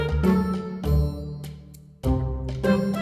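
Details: Upbeat instrumental music with bright plucked and chiming notes, a short pause near two seconds, and no animal sounds.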